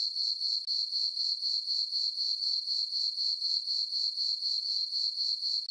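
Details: Nighttime cricket chorus from a farm meadow on a moonlit summer night: a continuous shrill, high chirping that pulses evenly around four times a second, unbroken and alone.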